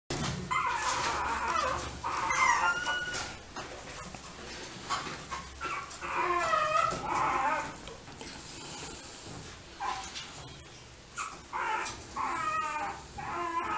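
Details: Apple-head Chihuahua puppies kept by breeders give high, squeaky whimpers and short yelps in repeated bursts, some wavering and rising, separated by brief pauses, over steady background hiss.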